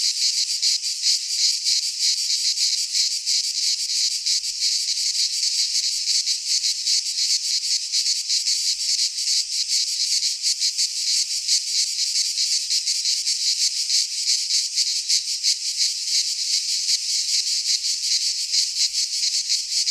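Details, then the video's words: In a Greek pine forest during midsummer, cicadas keep up a relentless high, rasping buzz, rapidly pulsating and steady in volume from start to finish. "Cicadas singing in midsummer - Nature sounds from the Greek fauna - Sounds of cicadas"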